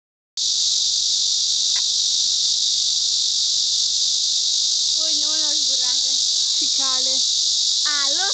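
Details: Korean cicada droning in a steady, unbroken, very high, hissing buzz from start to finish; people's voices join over the last few seconds.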